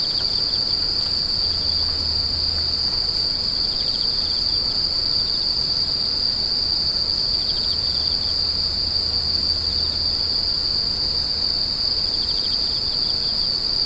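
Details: Insects screeching in a continuous high, ringing tone, joined by softer lower buzzy phrases about every six seconds, with a dull low rumble coming and going underneath.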